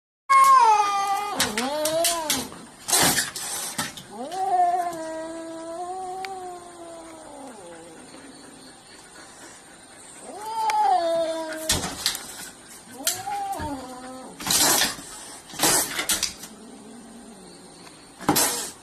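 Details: Domestic cat caterwauling: long, drawn-out wavering yowls, rising and falling, in several bouts across the recording, interrupted by sharp bursts of noise and brief pauses.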